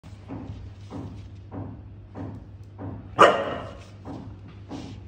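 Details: Five-month-old Siberian Husky puppy barking in reaction to a lighter he hates: a run of short, evenly spaced low barks, then one louder, harsher bark near the end, with a steady low hum underneath.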